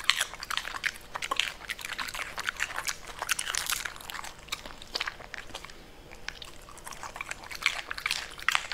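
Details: A Pembroke Welsh Corgi eating purple cabbage chews noisily, with sharp, wet crunches coming in quick irregular bursts.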